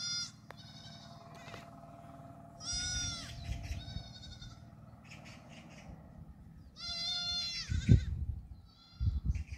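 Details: Young black goat kids on a farm in Gimhae, South Gyeongsang, South Korea, 8 July 2022, running about: two loud, wavering, harmonic bleats near three and seven seconds, with a few fainter short bleats over low rumbling and thumps.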